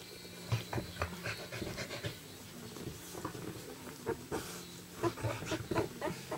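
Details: A young puppy from the Moon litter pants while trying to get up onto its feet in the morning, soon after the litter began walking. Quick, soft breaths come in an uneven run, about four each second, with faint rustling behind.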